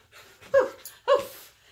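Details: Indoor pet dog reacting to being kissed by its owner for too long, giving two short yelping whimpers about half a second apart, with quiet room sound between them.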